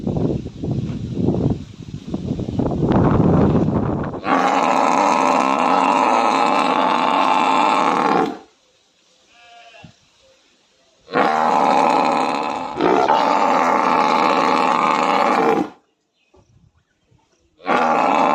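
A buffalo gives long, loud, harmonic bellowing calls, each held for several seconds.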